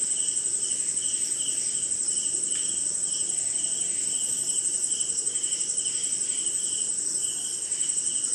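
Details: Crickets call through a rainy Indian night, with a sustained shrill trill and evenly spaced lower chirps, plus scattered faint insect buzzes and soft rain noise.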